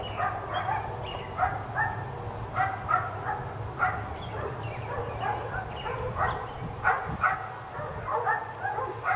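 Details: Persistent barking from four dogs kept outside all day: rapid, uneven volleys of short yaps rising and falling in loudness over a faint low drone.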